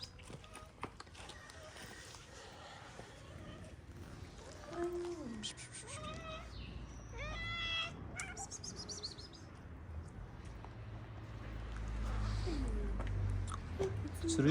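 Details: A calico mother cat, a street cat in Morocco that has just given birth to four kittens, meows in a few short, drawn-out notes. A person speaks softly nearby, and low background rumble swells toward the end.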